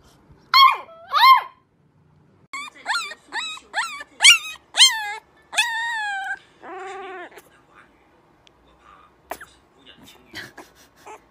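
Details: Puppies howling for the first time: short, high yelping howls that rise and fall in quick bursts, then a longer, lower, wavering howl, followed by faint scattered yips and brief clicks.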